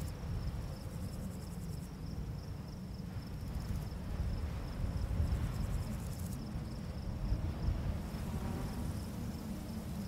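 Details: Crickets chirping at night in a barley field on a summer full-moon night: a steady high-pitched pulsed chirp, with bursts of even higher buzzy trills, beneath a strong low roar of wind blowing through the grass.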